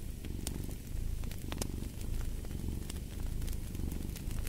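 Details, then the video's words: Domestic cat purring steadily beside a fireplace, a low rumbling drone pulsing in slow waves of inhale and exhale, with sharp crackles and pops of burning wood scattered throughout. "Purring of a Cat"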